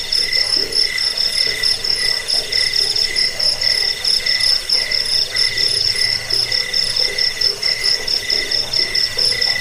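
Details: Several crickets chirp nonstop, from a track used against rats, for falling asleep and for training songbirds; quick repeated high pulses ride on a constant metallic hum with no breaks.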